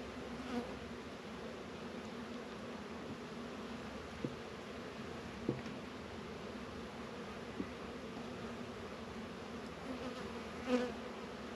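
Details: Steady droning hum of honey bees at the apiary in northern Kentucky on a 72-degree winter day in February, around Warre and Langstroth hives. A few brief clicks and one louder buzzing pass stand out.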